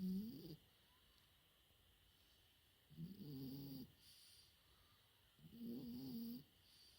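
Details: Four-month-old French Bulldog puppy snoring while asleep: three soft, low, rasping snores, each about half a second to a second long, spaced roughly three seconds apart, with faint steady background hum.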